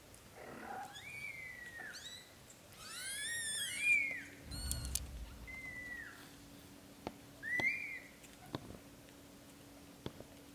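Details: Lotus, a blue golden British Shorthair kitten, dreams in his mother's arms while his brothers drink milk. He gives a run of high, arched mews that rise and fall, some with layered overtones, spaced irregularly over soft background hiss with faint clicks.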